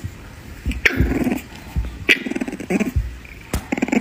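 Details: Puppy growling in rough, low rumbling bursts broken by sharp clicks and brief higher yelps, several short outbursts over four seconds, with a person calling out nearby.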